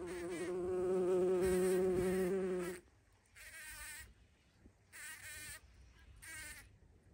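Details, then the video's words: Bumblebee at a feeding place, recorded 14 June 2023. A loud, rich, low buzz holds for almost three seconds, then three shorter buzzing bursts follow as the insect flits about. "Полёт шмеля или Шмелиная столовая"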